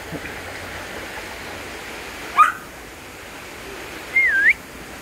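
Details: A Border Collie in a deep valley lets out two thin, chirpy, bird-like whines, one brief and rising, one a wavering squeak, demanding to be taken along, over a constant rushing-water hiss.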